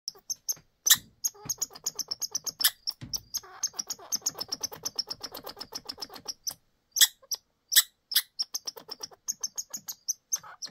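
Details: Squirrel; alarm call; warning other squirrels of predators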